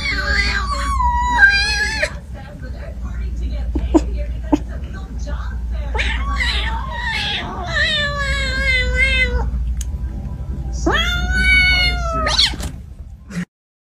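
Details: Siamese cats talking indoors: three long, drawn-out, wavering meows, rich and nasal, the middle one sliding downward, the last rising then falling, over a steady low hum.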